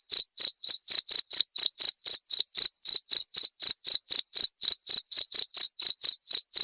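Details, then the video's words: Cricket calling in a clear master recording meant to train murai batu songbirds: a continuous series of high, ringing chirps, steady at about four per second, with a quiet background. "masteran suara jangkrik jernih!"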